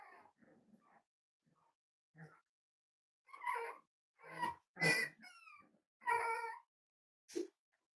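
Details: Cavalier King Charles Spaniels, from a puppy livestream of five-week-old litters at Red Barn Cavaliers, indoors: soft scattered squeaks give way to louder harmonic whining yelps, rising and bending, roughly one each second.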